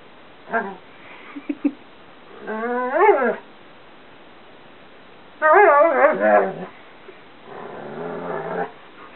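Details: Female Karelian Bear Dog/Alaskan Malamute cross Chewy, 2 1/2 years old, talking during a favourite bedroom game: a short yip, soft clicks, then warbling harmonic woos and a long, wobbling, yodel-like utterance, ending in a softer grumble.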